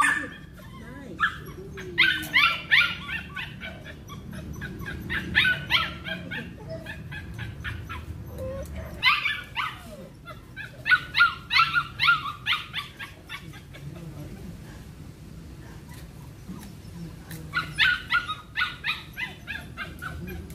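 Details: Belgian Malinois barking during cone training: bursts of sharp, high-pitched yelping barks, some with a whining tone, fired in rapid clusters of several barks, with short pauses between the clusters over a low background hum.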